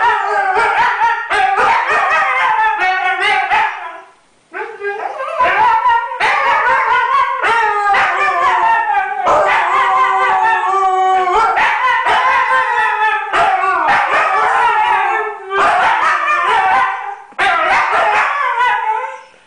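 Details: Two Siberian Huskies, one just over a year and one just over six months, howl and sing together, each trying to outdo the other; overlapping wavering howls mixed with yips, sustained loudly for twenty seconds with brief breaths between.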